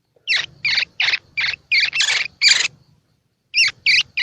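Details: A baby squirrel calling, a sound used to encourage young squirrels to feed: about seven loud, rasping chirps in quick succession, a short pause, then three more, with a soft low rumble underneath.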